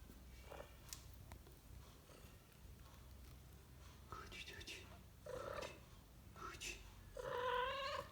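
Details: Mother cat with her two tiny kittens: thin, high mews with clear harmonics come in short bursts, growing stronger toward the end, over a soft low rumble and light rustling indoors.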